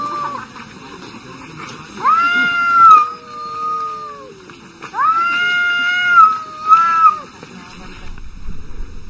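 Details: Arguing cats trade two long yowls about three seconds apart. Each rises sharply, holds a steady wavering pitch, then sags into a lower drawn-out moan. Faint voices and background murmur sit beneath.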